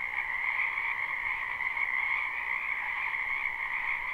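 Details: Many frogs calling in a spring wetland behind a house, live recording: a dense, unbroken chorus of trilling croaks in two steady bands, one mid-pitched and one higher, with no pauses throughout.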